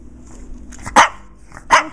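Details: Shih Tzu barking at an unseen 'ghost' as room lights are switched off: faint scuffling, then two loud, abrupt barks about three-quarters of a second apart.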